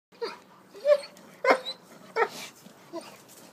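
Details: A dog that seems to talk to a stone gives four or five short whiny, yelping bursts roughly every half second to second, each a brief nasal vocal sound, in a quiet indoor room.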